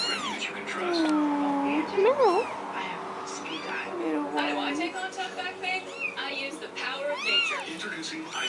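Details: Kittens separated from their mother for the first time since their eyes opened, calling for her; many overlapping meows, some long and wavering, others short and sharp, a busy chorus of several kittens.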